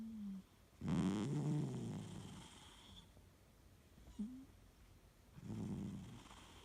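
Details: Fu-chan, a Siamese cat in deep sleep, snores heavily; long low rasping inhalations roughly every four to five seconds, separated by short nasal whistling exhales, with no other sounds in the room.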